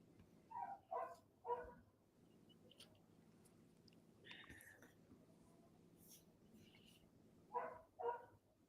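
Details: Neighbour's dog across the street barking, heard from inside a house: three quick harsh barks in the first two seconds, a pause, then two more barks near the end, over a low steady background hum.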